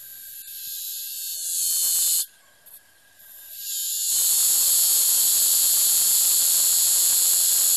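A cicada's harsh, high hissing buzz breaks off briefly, then returns louder and steady as a mating call.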